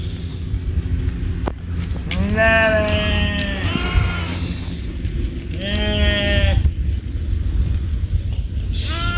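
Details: Goats together with sheep beside a road in India: several loud, quavering bleats overlapping in irregular succession, some rising and falling in pitch, over constant low rumble.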